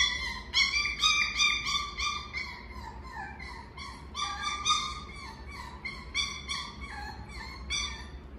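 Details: Miniature Schnauzer giving a run of high, sliding whines and yips, each rising then falling in pitch, repeated roughly every half second with short gaps, rich in overtones; faint low hum underneath.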